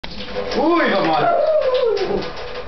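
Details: Molly, a pet dog indoors, howls to be given food: a drawn-out, wavering howl rising then sliding slowly downward over about two seconds, with a person's voice nearby.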